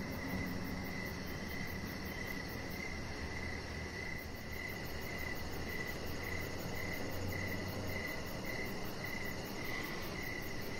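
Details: Evening crickets near an outdoor deck keep up a continuous, evenly pulsed high chirping, with a low steady hum beneath.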